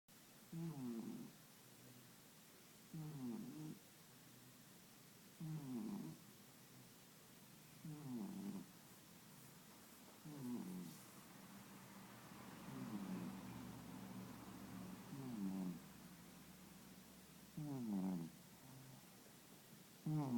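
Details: Sleeping cat snuggled up with another cat during a midday nap, snoring and snorting: rasping, low breathy snores about every two and a half seconds, with a soft steadier stretch in the middle.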